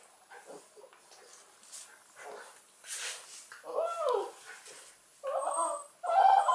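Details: Dogs, a 13-month-old Cairn Terrier and a 40-day-old Irish Wolfhound puppy: soft scuffling and rustling, then loud whiny arched whimpers, three short bursts in the final seconds, each rising and falling.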